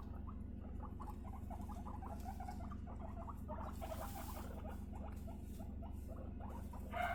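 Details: Three female pet guinea pigs during a bonding introduction, two sisters aged 3.5 months and one aged 1.5 months; dense, fast, uneven series of short chattering squeaks, about two per second, with a faint low hum beneath.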